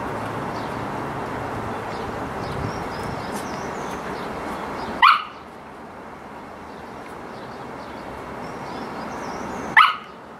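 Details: Samoyed playing, two isolated sharp barks roughly five seconds apart against a constant hiss of background noise.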